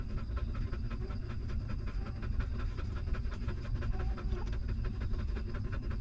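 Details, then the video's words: Stray mother dog feeding her newborn puppies; one hungry pup sucks milk in fast, regular clicking pulses, with a constant low-frequency drone underneath. "Hungry Puppy Sucking Milk"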